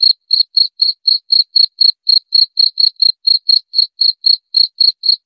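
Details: Cricket, presented as a rat-repelling sound, giving a steady series of short, high, clean chirps, roughly four per second, each a brief bright pulse, with silence between them and no other sounds.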